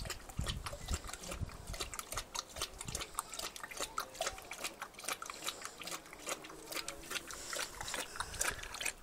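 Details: A thirsty female Rottweiler laps water noisily, with quick wet slurps and splashy clicks in an uneven rhythm.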